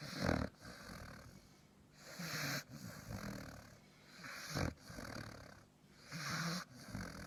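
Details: Sleeping dog snoring loudly in a rough, breathy rhythm, each snore a brief broadband rasp recurring roughly every two seconds, with quieter wheezy breaths between.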